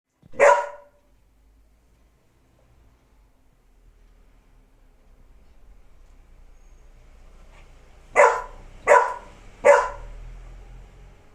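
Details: Pet dog barking at its own reflection in a mirror indoors: one sharp bark, a long quiet pause, then three quick barks in a row near the end, with faint low background hum.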